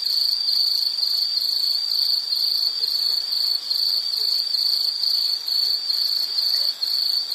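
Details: Nature sound of insects: a shrill, even trill of rapid chirps running throughout, with brief dips in loudness and a faint higher chirping layer behind.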